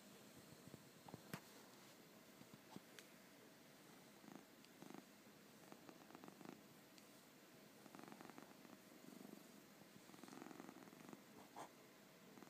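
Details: Elderly 25-year-old cat sleeping comfortably indoors, snoring in soft, rasping, rhythmic breaths with a low purr-like rumble, each breath repeating every second or two, in a quiet small room.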